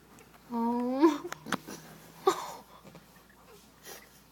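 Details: Twelve-day-old Chug puppy indoors gives one short, rising, squeaky whine, followed by clicks, rustling and human voices.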